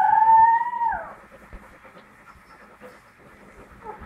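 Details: Pit Bull puppy taking its first steps, letting out one clear, steady whine of about a second that drops sharply at the end, followed by quiet breathing and a faint short squeak.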